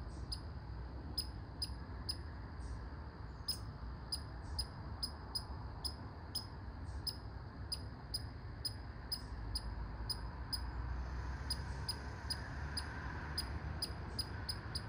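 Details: A red squirrel calls with barks: a near-continuous stream of short, piercing, high chips, sometimes doubled, repeated every fraction of a second against a low background drone.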